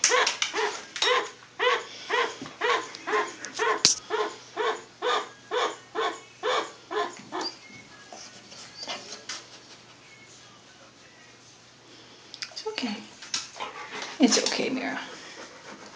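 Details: A pet chinchilla, just woken, gives a fast run of short, harsh, barking squeaks, about two each second; owner first thought it was annoyed at being woken, later suspects it was warning about the dog.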